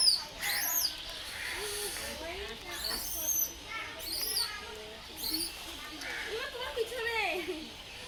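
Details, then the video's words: Infant langur monkey producing repeated high, upward-curving squeals and chirps, interspersed with softer mid-pitched wavering whines, several calls across eight seconds against light background noise. "baby langur monkey sound"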